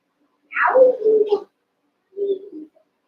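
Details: Cavalier King Charles Spaniel puppies, one of eight young littermates wrestling and playing together in a pen. A sharp high yelp slides steeply down into a tonal whine; after a short pause comes a softer, lower whimper.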